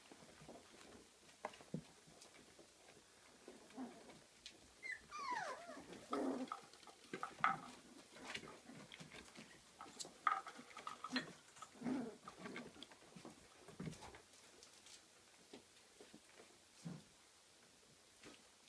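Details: Kooikerhondje puppies, 34 days old, at a kennel in Sweden, playing in their own activity room indoors. Soft high whimpers and squeals with quick rising and falling sweeps, clustered mid-clip, over scuffling paws and small knocks.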